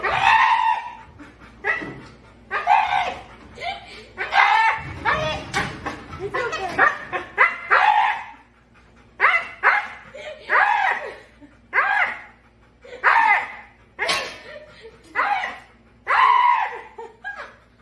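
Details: Siberian Husky, described as dramatic, making a string of whining, yodelling talk-like noises with rising and falling pitch, about one burst per second, some short and yappy, after an owner's coaxing words.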